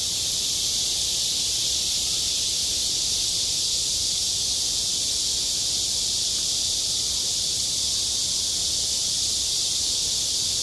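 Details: Cicadas singing on a school playground in high summer: a dense, unbroken high-pitched hiss holding steady throughout, with no pauses and nothing else standing out.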